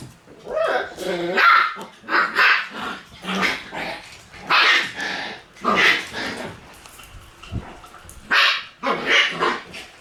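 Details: Shiba Inu puppies in a puppy room, recorded on 1 September: a lively series of short, sharp, high barks and yelps in quick bursts, roughly one every second, with some whining between.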